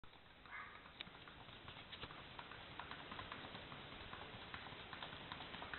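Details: Paso Fino horse named Carpintero: soft, rapid hoof taps in a dense, fairly irregular patter, about two and a half per second, over a steady background hiss.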